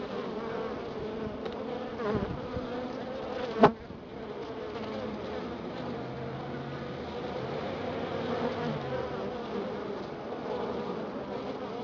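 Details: A Florida honey bee colony checked after a week of cold weather gives a continuous droning hum. The buzz is steady and layered, with a soft thump early on and a single sharp knock before the drone resumes.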